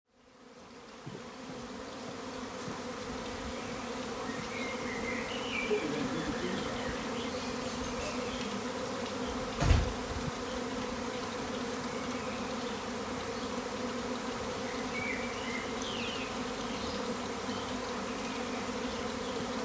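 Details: A massive swarm of thousands of honey bees outside an upstairs window in a garden on April 26, 2020 fills the air with a loud, steady, droning hum of many wings.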